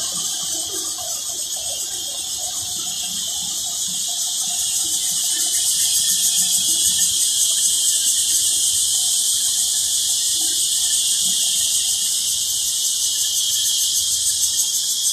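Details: Many cicadas calling loudly together in the Thai countryside, filmed on a Sunday: a dense, continuous high shrill buzz with a fast pulsing texture that swells louder after a few seconds and then holds steady.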